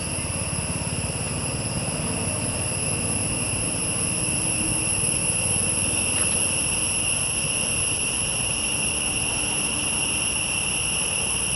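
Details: Insects calling in a forest: a continuous, steady high drone with stacked, unbroken tones that hold through the whole stretch, over a low, rumbling background noise.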